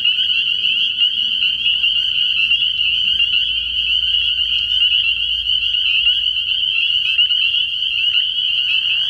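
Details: Dense night chorus of spring peepers at a frog pond early in the year, countless high piping peeps merging into one continuous shrill ringing tone, with faint low background rumble.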